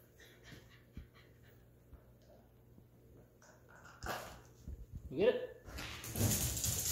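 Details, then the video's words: Tyrion the Corgi begging to play: scattered soft taps and thumps lead to a short, rising, nasal whine late on, followed by a burst of broad rustling noise. "Tyrion the Corgi begging to play"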